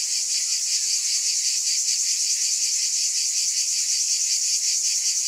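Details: Cicadas in a dense, unbroken chorus: a loud, high hissing buzz that never pauses, with a faint pulsing shimmer running through it several times a second and no other sounds.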